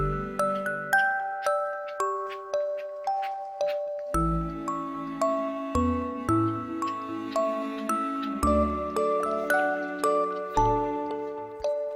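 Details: Gentle chiming, music-box-style melody over soft bass notes plays throughout, with no animal calls.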